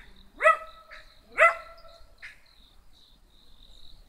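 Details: Two crisp, high-pitched barks a second apart from a small black dog being spoken to, each rising sharply then stopping, with a faint steady electronic whine behind.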